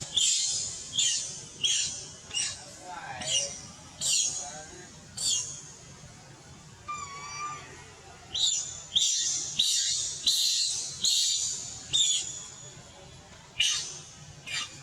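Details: Baby monkey crying for milk, its mother away: short, shrill, noisy squeals repeated roughly every second in irregular bursts, with a brief pause midway and a faint lower whistle between cries.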